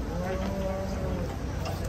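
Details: An aged, bony cow gives a flat, sustained moo lasting just over a second, then fades into faint background chatter and low rumble.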